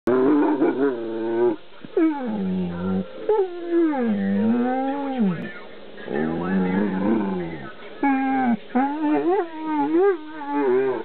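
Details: Dog vocalizing in reaction to a tuba player and cows shown on a computer screen: long, harmonic, wavering howl-like moans that bend up and down, with brief breaks between drawn-out phrases.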